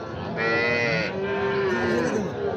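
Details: Sahiwal bull calves at Raniganj cattle market in Dinajpur district, Bangladesh; a drawn-out, wavering moo that rises and falls over two seconds, with a second lowing voice overlapping, amid crowd chatter.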